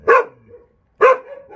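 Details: Jindo dog on Jindo, Korea, giving two loud, sharp barks about one second apart, each trailing into a brief whine.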